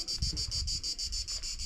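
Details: A cicada sings a high, harsh buzz pulsing about five times a second, on a hike up the Pic du Lizieux, France.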